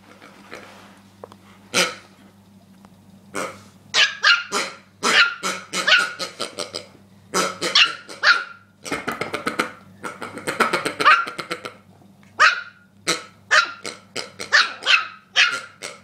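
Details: Agitated over a pig, the dog Rookie barks almost nonstop in dense bursts of shrill yaps, some overlapping with scuffling noise, continuing for the whole stretch against a low hum.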